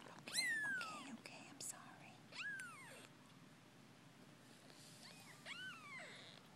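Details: Ten-day-old Persian kittens, offspring of Drens and Lucy, indoors with eyes starting to open; several high, arching mews, the first long and downward-sliding, then single mews near two and a half and five and a half seconds, with soft whispered speech between.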